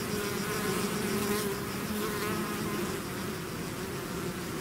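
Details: Honeybee swarm leaving its hive, a dense continuous hum with steady tones near the low-mid range, bright overlapping whines drifting in and out as individual bees pass close, louder around the middle, no other sounds.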